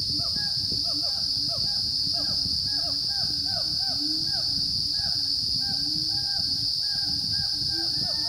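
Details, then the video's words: Wild Siamang gibbons on the dormant volcano Gunung Rajabasa, south Sumatra, at 900–1100 m, recorded 5 June 2016 between 9 and 11 am: a dense run of short arched hooting notes with bright overtones, repeated rapidly over a steady high insect drone. "Siamang gibbon calls on Gunung Rajabasa in South Sumatra"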